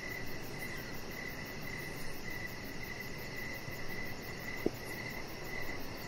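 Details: Crickets chirping outside in the evening by a deck with decoration lights: a faint, steady train of short high chirps over a broad hiss of background noise, with one sharp click near the end.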